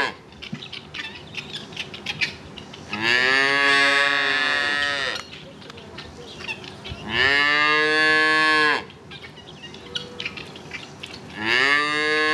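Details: Cows mooing in three loud, sustained moos spaced roughly four seconds apart, each rising then leveling off with strong harmonics, separated by quieter barnyard clatter and faint clicks.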